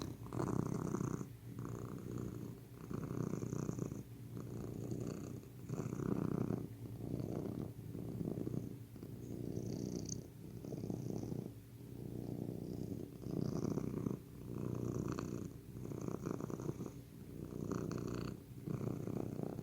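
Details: A house cat purrs steadily, a deep grainy rumble that rises and falls in breath-length bursts of one to two seconds, with soft pauses between inhale and exhale phases.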